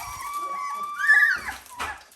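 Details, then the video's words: Dalmatian puppies at 17 days old, indoors: one drawn-out, tonal whine holds steady, then bends upward into a brief louder squeal before fading, with a faint second cry at the end. "Dalmatian puppies day 17"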